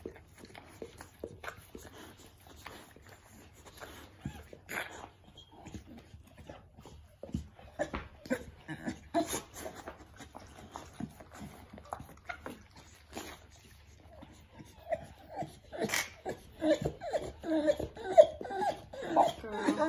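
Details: A Pit Bull, or Bully, whelps her first litter at home. Rapid clicks and rustles come about twice a second, then brief, soft, whiny squeals cluster toward the close amid handling noise.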